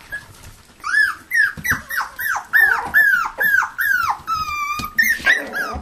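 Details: Toy poodles and Pomapoos playing in an indoor living room play area, 9 November 2007: a run of about ten high, shrill whining cries, each sliding sharply downward, repeated roughly every half second with brief gaps.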